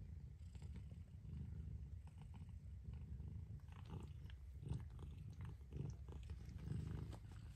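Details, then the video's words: A mother cat purring: a steady low rumbling drone runs throughout, with soft rustling and faint clicking sounds on top. "Mother Cat Purrs"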